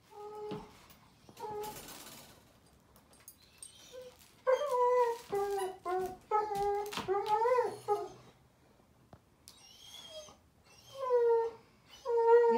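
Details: Daisy, a German Shepherd puppy, cries at bedtime indoors: a series of high, wavering harmonic whines, some sliding up and down, broken by short gaps and clicks, with a woman speaking softly nearby.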